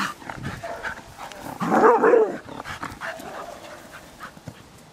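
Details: Female dog at the Loomade Hoiupaik animal shelter, said to look like a mini German shepherd; one loud, harsh bark bursts out near the middle, with fainter barking and whining sounds before and after.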